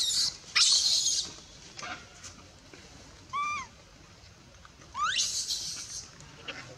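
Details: Baby monkey crying as its mother pushes it away from nursing, at Bayon among cared-for abandoned monkeys: harsh, high screechy bursts and two rising squealing whines, over faint outdoor background noise.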